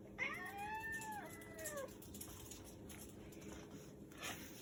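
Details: Persian cat giving one drawn-out, tonal meow of under two seconds that arches and then slides down in pitch, followed by a quiet indoor room with faint clicks and soft rustling.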